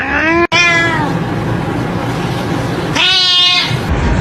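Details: Domestic cat meowing: two short harmonic meows, one near the start falling in pitch and a brighter one about three seconds in, over a steady background hiss.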